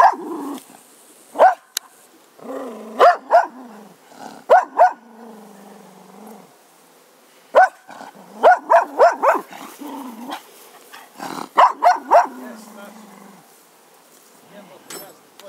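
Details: A grumpy Cocker Spaniel barks in short sharp bursts, mixed with low rumbling growls between them.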